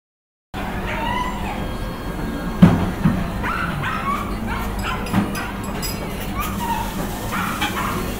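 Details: Dog recorded in October 2021 gives repeated whining yips and whimpers with rising and falling tones, with a few sharper bark-like knocks, over a constant low background hum.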